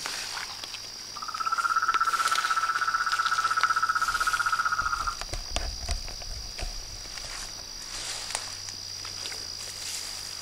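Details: Pond-side frog chorus at nightfall near a house: a buzzy pulsed trill lasts about four seconds, then gives way to scattered rustling and clicks under a continuous high insect drone.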